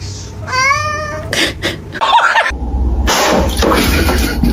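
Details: A single clear, tonal kitten meow early on, followed by clattering, rustling and a steady hiss of background noise.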